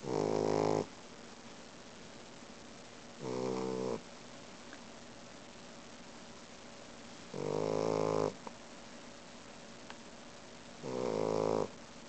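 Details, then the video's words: Loud snoring from a sleeping Boxer puppy, four harsh buzzy snores spaced roughly three to four seconds apart, each lasting under a second, against a low steady hum. "Boxer Snoring"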